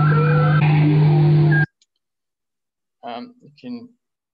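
A bowhead whale's song: a low, steady drone beneath sweeping, wavering tones, then a man speaks.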